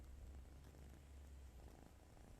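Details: Small white cat asleep in a person's arms, snoring: a steady deep low rumble that holds evenly throughout, with soft rustling from clothing and no other voices.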